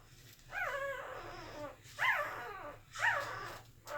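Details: Sleeping Corgi puppies from Shera's litter, recorded August 18, 2018, making noises in their sleep: three short, rising-then-falling whimpering squeals about a second apart, over a low steady hum.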